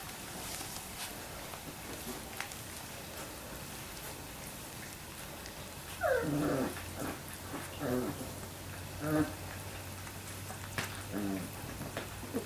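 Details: Labrador Retriever puppies at three weeks old, after a quiet start, let out a run of short descending whines and squeaks in the second half, over a constant low hum.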